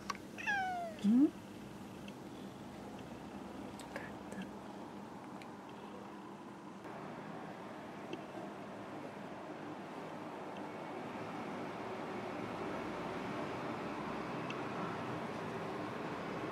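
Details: Pet cat greeted in the morning gives a single clear meow near the start, sliding in pitch, followed by a long quiet stretch of soft room hiss.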